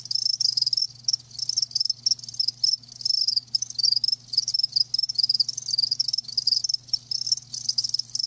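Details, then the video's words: Live crickets chirping, a dense high-pitched trilling in rapid pulses broken by short gaps, several callers overlapping, with a faint steady low hum underneath. "Live Crickets 60min "Natural Sound""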